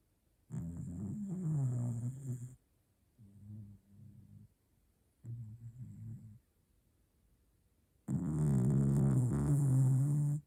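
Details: Sleeping pet dog snoring in long, low, rasping breaths of about two seconds, alternating with softer short snorts, roughly evenly spaced.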